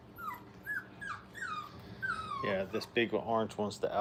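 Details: Five-week-old Brittany puppies playing at a kennel, giving a run of thin, falling whimpers followed by a burst of louder, harmonic yelps and yips packed close together in the last second and a half, indoors.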